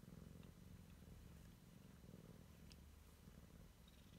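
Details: Siamese kitten exploring its surroundings for the first time, purring: a steady low rumbling pulse running throughout, with a few faint clicks and rustles above.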